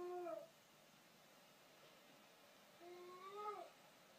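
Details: A female Border Collie gives two brief, tonal howls, the first sliding down and the second rising, with a head tilt to howling.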